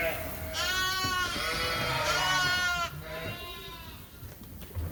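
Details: One drawn-out, quavering bleat from a Suffolk lamb among mixed groups in a barn at Ewetopia Farms lasts over two seconds, then a softer shorter bleat follows, with faint rustling behind.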